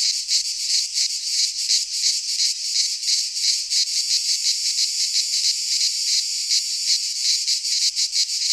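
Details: In a Greek pine forest at midsummer, cicadas produce a steady high-pitched rasping drone, its loudness swelling and dipping in quick rhythmic pulses, uninterrupted for the whole stretch.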